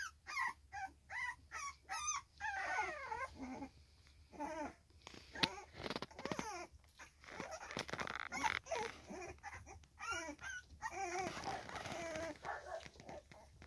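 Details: Three-week-old Staffordshire Bull Terrier puppies whimper and squeal in short, wavering, high-pitched bursts.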